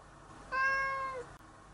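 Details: A single cheerful, playful cat, once a stray and now being kept fully indoors, gives one clear, steady meow lasting under a second that holds its pitch and dips slightly at the end, in an otherwise quiet room.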